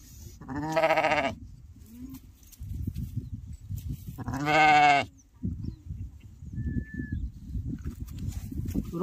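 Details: Lamb with a broken leg being bandaged on a sheep and goat farm; two loud, wavering, nasal bleats about four seconds apart, each under a second long, with rustling and handling noises between them.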